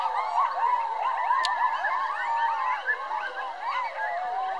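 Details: A pack of coyotes, about twelve counted, howling together: many overlapping wavering, rising and falling yips and howls in a dense chorus, continuous throughout.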